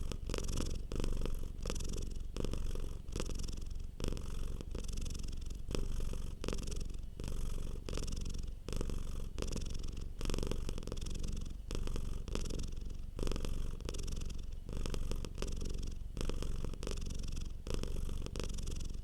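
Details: Relaxed domestic cat purring softly, a steady low rumble rising and falling in regular breath-paced surges, around forty per minute, with no other sounds.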